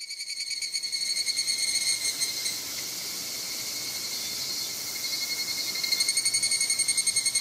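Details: A higurashi evening cicada sings a bright, ringing, rapidly pulsing metallic 'kana-kana-kana' trill at a shrine in Moroyama, Japan, on 2 August 2020.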